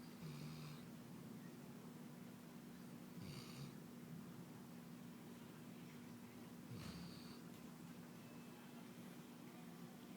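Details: Labrador Retriever named Wilson snoring: soft, breathy snore bursts come roughly every three seconds, each with a brief low rumble, over a steady low electrical hum.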